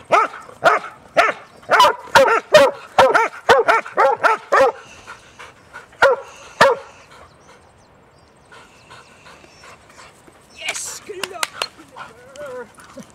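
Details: Huntaway dogs barking during a Sunday walk with three dogs, among them Sophie; a quick run of loud barks for about five seconds, a couple more, a quiet gap, then a later burst of barks and a whine.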